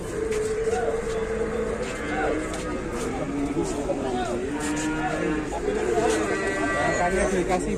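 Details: Cow fresh off arrival, causing a commotion with its nose torn open, lets out sustained lowing moos near the start and again later, mixed with speech and background music.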